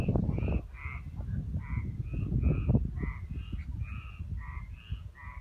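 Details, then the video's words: Ligurian frogs, Italy, giving quick nasal croaks in a steady overlapping series, about three to four per second, with low rumbling background noise and a few louder knocks early on. "Ligurian frogs"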